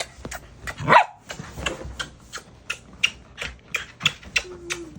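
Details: Jealous black Scottish Terrier named Mungchi at home, fussing for attention: one louder yelp near the start, then a run of short sharp sounds about three per second, with a woman talking softly in Korean.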